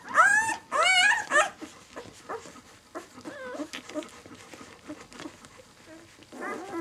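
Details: Six-day-old White German Shepherd puppies of the B litter, kennel "of White Night", indoors. Three loud high squeals open, harmonic and wavering, then softer overlapping whimpers and grunts from several pups, a final rising whine near the end.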